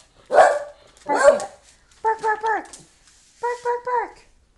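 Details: Scooter, a pet dog barking to tell its owner to hurry up and get ready for the library, gives two loud broad barks followed by pairs of short tonal whines and yelps, with human speech around them.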